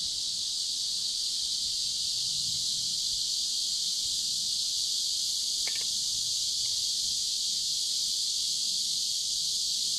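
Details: Cicadas singing beside a river in warm summer, 23 July 2015: a continuous, steady high-pitched hiss-like drone holding unchanged through the whole clip, with a brief faint click midway and no other clear sounds.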